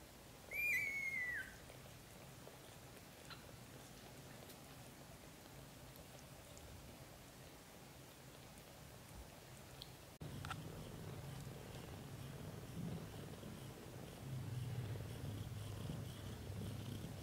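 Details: British Shorthair kittens, black golden and blue golden, growing from newborn to 30 days old: one loud, high, thin mew near the start that slides downward with bright overtones, then quiet indoor hiss and a low hum after a cut.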